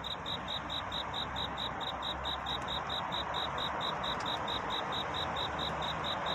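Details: Cricket calling for a mate in the night before dawn, producing a steady stream of bright, high-pitched chirps at a fast even pace above a continuous low hiss.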